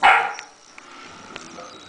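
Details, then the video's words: A puppy barking at a pill bottle: one sharp, bright bark right at the start, then quiet room tone for the rest of the moment. "puppy barking at a pill bottle"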